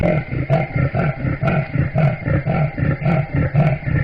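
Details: Leopard giving a deep rumbling call likened to a large displacement engine: low, throaty pulses repeated steadily about twice a second, with a rough buzzing texture and no other clear sounds.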